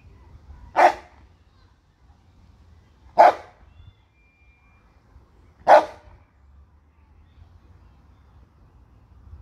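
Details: Bernese Mountain Dog, one of two pets kept at home near a park, barking: three loud, single woofs about every two and a half seconds over a quiet low hum.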